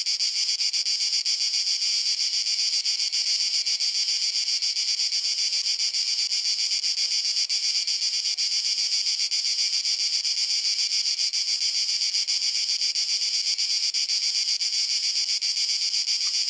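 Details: Cicadas in summer in Croatia sing a steady, high-pitched, unbroken buzzing drone with a fine rapid pulse.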